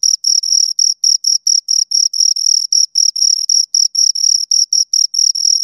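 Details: Close-range chirping from two crickets, a shrill pulsed trill repeated about four times per second, clean and uninterrupted over a silent background.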